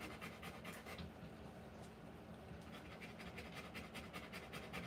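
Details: Panting Rottweiler during the live birth of her puppies, rapid rhythmic breaths about two and a half per second, pausing briefly for roughly a second and a half before resuming at the same quick pace.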